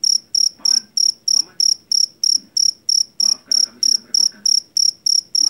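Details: Cricket caught in rice fields, the loud jangkrik Jawa, used to drive rats from houses: sharp high chirps of three or four rapid pulses, about three per second, steady, with faint low voices and clatter beneath.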